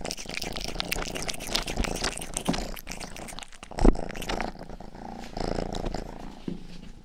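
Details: Rang, the youngest pet cat of the household, purrs while licking ears for ASMR: a deep continuous rumble dominates throughout, overlaid by rapid crackling lick clicks that thin out after four seconds into calmer purring.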